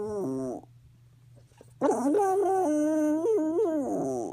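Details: Roo, a female pet dog whose medication was increased, gives an odd, sung howl: a short wavering note, a pause with a low steady hum, then a long tremulous, slightly bending howl rich in harmonics.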